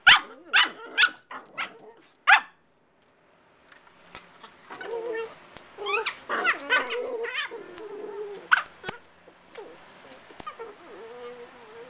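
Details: Two playful puppies, Casey and Charley, 5 and 8 months old: a run of loud yappy barks opens, then a pause gives way to grumbling growls and warbling moans, with a single sharp yelp near the end.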